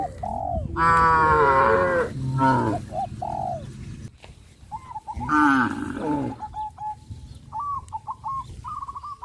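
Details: Cattle on a traditional village farm, walking toward green grass fields, low in drawn-out, harmonic moos, with thin whistled bird notes in the background.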